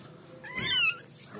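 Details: Kitten giving a single short, high-pitched meow that rises and then dips, heard indoors over faint room noise.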